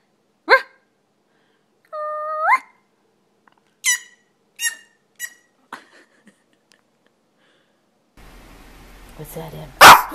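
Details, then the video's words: Puppies bark in sharp, isolated yaps, one of them a held, whining note. The barks are spaced a second or so apart, and a person speaks at the end. "Preciosos cachorros ladrando"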